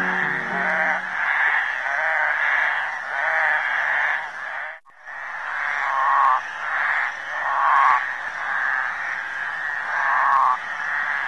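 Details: Flat-backed toads calling in a mating chorus at a suburban creek in Lusaka, Zambia: a steady wall of buzzy, pulsed calls. A low tonal sound opens the recording, and the chorus is cut briefly halfway through.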